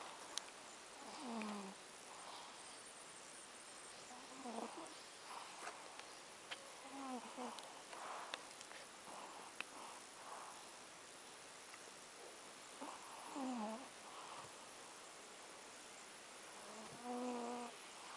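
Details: Plump cat asleep at Avalon Beach, snoring in short tonal buzzy bursts that repeat every few seconds with uneven spacing, over a soft hissing background with a few faint clicks.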